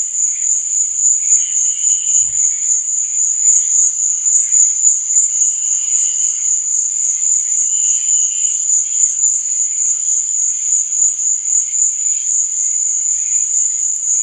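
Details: Night-time cricket chirping forms an unbroken high-pitched buzzing chorus. A few faint, lower drawn-out tones surface now and then, and a single soft thump is heard early on.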